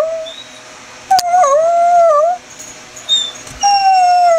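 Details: Greyhound performing a roo and whine combination: a sustained wavering tonal howl sliding up and down, broken into a few long notes with short gaps, with brief clicks and a quiet room hum behind.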